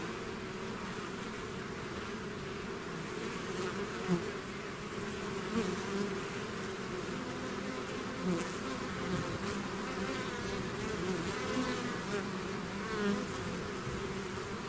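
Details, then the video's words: Swarm of bees leaving their hive: thick, unbroken buzzing hum, layered low tones holding steady while occasional louder fly-by buzzes rise briefly above the mass of wingbeats. "bees therapy swarm natural buzzing sound"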